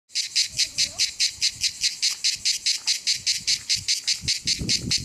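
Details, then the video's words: A cicada at the Rocher du Sampzon in Ardèche, France, sings a loud, high, buzzy song broken into rapid, evenly spaced pulses. "Cigale au rocher du Sampzon - Ardèche"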